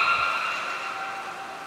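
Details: Beluga call during a training session for Gray, Nana and Mirai at Port of Nagoya Public Aquarium, 6 August 2023: a short, clean harmonic tone that starts loud. It slides slightly downward and fades within two seconds.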